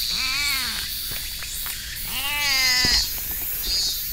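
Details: Stray cat met along a hiking trail, meowing in an odd voice while being stroked: two drawn-out, arching meows about two seconds apart, rich in harmonics, over steady high-pitched outdoor hiss, likely insects.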